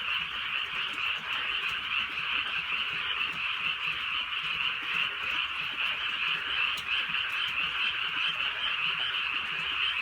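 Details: Many frogs croaking together at night in the rural countryside while drizzle falls, producing a thick, even trill that never pauses across ten seconds, with light patter of rain beneath.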